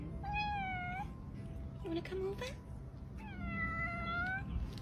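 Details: Pet cat gives two drawn-out, level meows about three seconds apart; a short burst of human speech falls between them, over a low hum.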